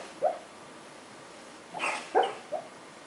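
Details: A domestic dog making noises while it dreams in its sleep: a few soft, short whimpering yips scattered over three seconds, faint against a low background hiss.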